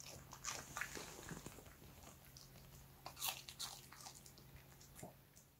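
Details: Soft crunching and wet chewing from Strawberry, a quiet, timid female Bichon Frise, as she eats a carrot treat indoors; scattered crisp bites with a faint steady hum beneath.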